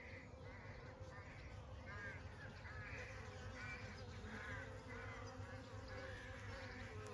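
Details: Honey bees in summer give a steady low droning hum with a faint higher overtone, while repeated harsh caw-like calls from distant birds pulse above it every second or so.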